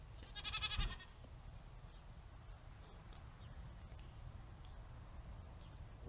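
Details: A Nigerian Dwarf goat doe, one of two kept over the summer on a backyard homestead, gives one short, bright, wavering bleat, then a quiet background hum.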